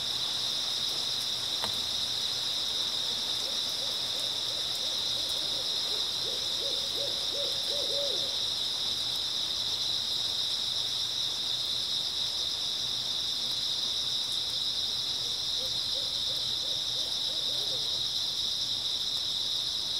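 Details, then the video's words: An early autumn night chorus of grass insects: a continuous shrill, steady ringing hum. Low trembling, rapidly pulsed hoots break in twice, once near the start and again toward the end. "초가을 밤부터 새벽까지 백색소음 풀벌레 소리"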